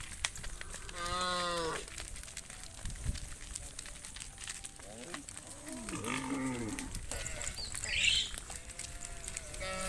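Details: Tame cattle herd being led back to the farm pen at sunset; a few short harmonic lowing calls, one near the start and others around the middle, over rustling, crinkling background noise with a faint high hiss.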